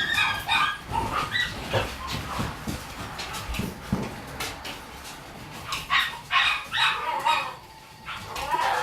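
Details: Shiba Inu puppy born on 21 September 2018, giving high, squeaky whimpers and short yelps in uneven bursts, with brief pauses between the clusters of cries.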